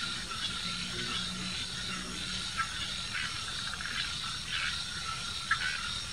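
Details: Bischoff's tree frog (Hypsiboas bischoffi) calling at the São Paulo Botanical Garden, Brazil, on 9 January 2019: faint, high, ratcheting pulses repeated irregularly over a steady, hissing chorus-like background.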